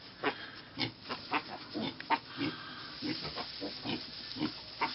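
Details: Mini pig piglets on a farm, giving short soft grunts repeated roughly every half second in quick irregular bursts, with faint background noise.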